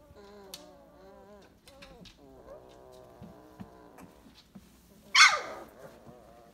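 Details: 22-day-old purebred Weimaraner puppies, 2018, whine and whimper in thin, wavering cries, with one sharp yelp near the end.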